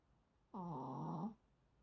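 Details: Sleeping Maltese dog snoring: a single drawn-out, voiced snore lasting under a second, low and harmonic with a slight upward bend at its end, set against near silence.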